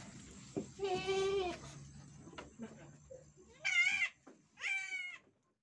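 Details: Etawah goat at a goat farm in Bukittinggi, West Sumatra, Indonesia, around a birth being tended; a lower wavering bleat followed by two higher, shorter, quavering bleats about a second apart, with faint background noise and rustling.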